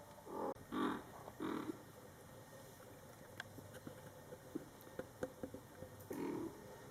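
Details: Mother cat Coco talking to her Scottish Fold kittens, born July 22, 2012, during their first month of life: four short, low, harmonic murmured meows, two close together at the start, one soon after, another near the end, with soft clicks between.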